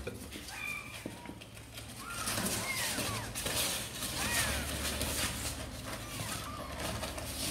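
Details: Sor and Kapov's kittens eager to come out and play give a string of thin, high, arching mews, several overlapping, over a rustling, shuffling background with muffled thumps.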